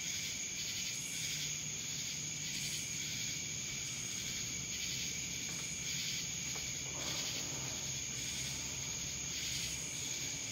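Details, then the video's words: Cicadas recorded in Dallas, Georgia: a dense, steady high-pitched hiss with rhythmic pulsing surges roughly every second, plus a continuous thin whine above it, with no other clear sounds. "Cicadas Black Screen Sounds"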